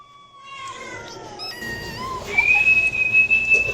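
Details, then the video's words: Cat meow that slides gently downward, rich in harmonics, followed by a long, steady, high whistle-like tone that holds level to the end. "5 kitten and cats meowing sound effect compilation| cat meowing to attract cats"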